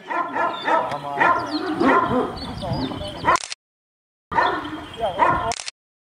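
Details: Kangal dogs, said to be giant and aggressive, barking at each other in choppy bursts of resonant barks. Turkish speech is mixed in, and the sound is cut by abrupt silent gaps.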